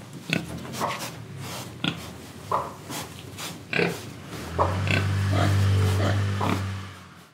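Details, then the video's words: Pig in Indonesia grunting while eating and breathing. Short clipped oinks come roughly every second, then a steady low droning hum sets in partway through and continues under the last grunts. "Pig Sound Effects Oink Oink, Breathing & Eating"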